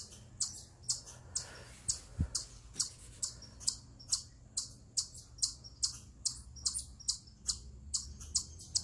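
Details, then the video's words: Eastern chipmunk vocalizing from atop a rock, described as a stress call: sharp, high chips repeated about twice a second at slightly uneven intervals, with a faint low background hum. "Eastern Chipmunk Vocalizing Upon A Rock"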